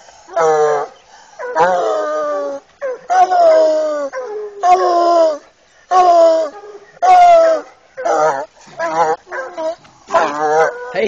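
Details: Male Bluetick coon dog, eight years old, baying at a raccoon in a cage; a quick series of short, descending, choppy bawls, roughly one per second, some slurring downward, and a few fast broken yips near the end.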